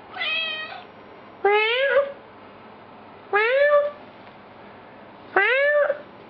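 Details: Pet cat meowing while its owners play around with it. Four clear, drawn-out meows, each rising slightly and then levelling off, spaced about one and a half to two seconds apart in a quiet room.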